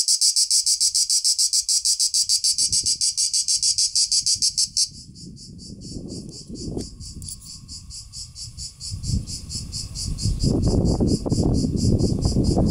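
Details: Cicada: a strident pulsing buzz, loud for the first five seconds, then softer and continuing under rising low rumbling noise and handling sounds.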